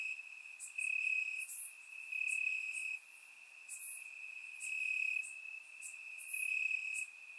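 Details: Warm summer night in Bulgaria with crickets calling from the grass: an unbroken high-pitched trill underneath, plus rhythmic louder pulses rising and falling about every one to two seconds, recorded in surround sound.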